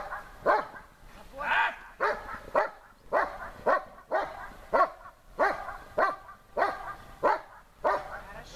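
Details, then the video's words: German Shepherd in protection training, barking at the helper during a search under difficult conditions: steady, regular sharp barks about every half second to second, some doubled, with faint background noise. "облайка с усложнением"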